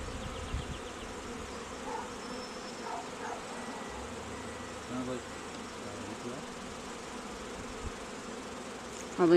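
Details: Honey bees kept at an apiary for queen raising, with cells at day 11: a low, layered buzzing drone with faint tonal overtones, and a sharp knock at the very end.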